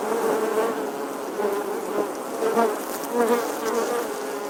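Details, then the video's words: Summer bee buzz, a continuous low droning tone whose pitch drifts gently up and down, with stacked overtones and periodic rises in volume as it flies close. "Bee Buzzing Sounds"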